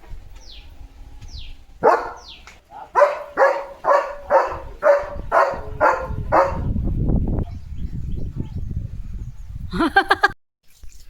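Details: German Shepherd named Leo in a home courtyard, in a morning session of water play with a hose pipe in its mouth: a few thin descending whines, then a rapid run of about eight loud harmonic barks, followed by rushing water noise, laughter and voices.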